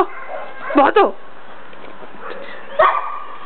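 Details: Bandog barking: a quick pair of sharp barks, then after a pause a single bark, over steady background hiss.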